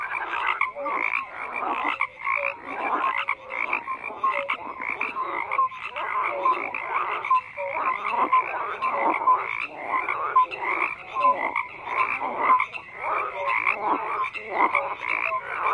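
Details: Long stretch of a dense frog chorus, countless overlapping croaks forming a pulsing, rasping wall of sound punctuated by short tonal notes, unbroken from start to end.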